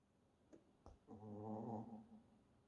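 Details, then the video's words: Sleeping Shih Tzu puppy snoring: one drawn-out, low, rumbling snore lasting about a second with a layered, buzzing tone, preceded by a couple of faint clicks, in an otherwise quiet room. "시츄 강아지 귀여운 코골이 소리"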